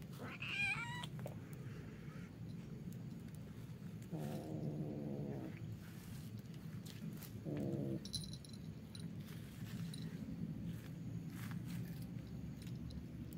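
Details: Kittens fighting on a roof at night: a short rising yowl opens, followed later by two low, rough growling wails. A steady hiss of background noise persists throughout.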